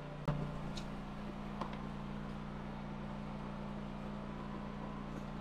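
A steady low mechanical hum with a sharp knock near the start, and no animal voices.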